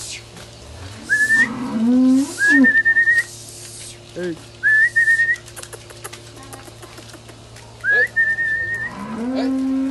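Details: Cattle in an auction lot of three cows: one low, drawn-out moo that rises slightly, amid loud sharp human whistles repeated throughout, with background music and people.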